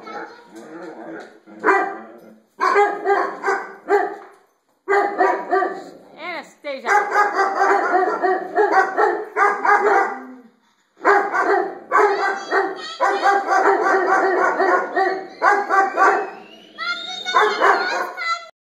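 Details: Domestic dogs bark at themselves reflected in skylights, firing dense, nearly continuous volleys of loud, rich barks with only brief gaps, a quick sliding whine near the middle and a higher, stretched yelp toward the end.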